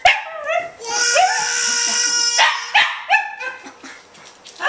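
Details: A pet Welsh Terrier indoors howls along with a singing baby: short rising yelps, then a long steady tone held for over a second, mixed with the baby's high vocal sounds.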